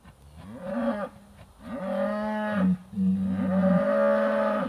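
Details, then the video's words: British White cattle herd in July 2013, riled up over an old cow hide hanging on a hay ring while being moved through a trap area, recorded by phone: deep harmonic moos, one short then two long, drawn-out bellows. "British White Cow Herd Finds the Hide"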